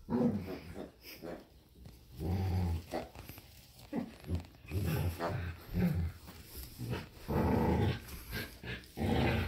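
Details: During a playful tug-of-war over a squeaky hedgehog toy, a Samoyed and a Keeshond growl in low, rumbling pulses that repeat roughly every second. Bursts of rough noise from the scuffle run throughout.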